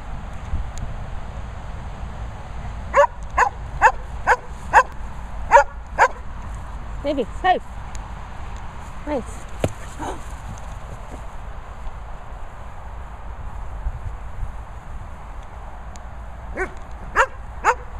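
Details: German Shepherds Sophy and Toby let out a quick run of sharp, ringing barks, then scattered fainter ones after a pause, with people talking in the background.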